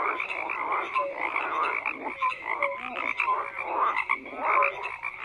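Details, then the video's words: Frogs croaking in a thick, continuous chorus; rough pulsed calls overlap while a few short bright notes and a low gulping croak near the middle break through. "FROGS CROAKING"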